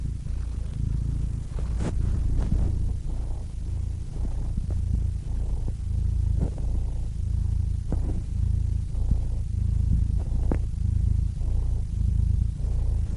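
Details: Deep, droning cat purr, steady and low, with scattered faint clicks and small taps across the recording.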